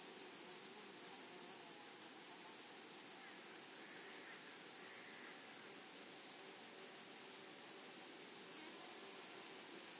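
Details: A high, continuous insect trill rises from grasshoppers in a flowering meadow. It keeps an even, shimmering tone for ten seconds and pulses softly about three times a second, over a quiet background.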